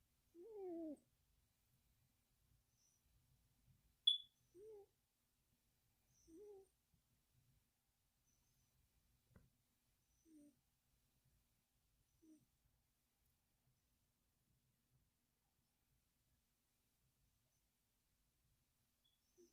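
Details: A sleeping kitten named Firestar snores, recorded June 9th 2020: soft, short, squeaky whistling breaths with a slight downward slide recur about every two seconds in a quiet room, with one sharp click near the fourth second.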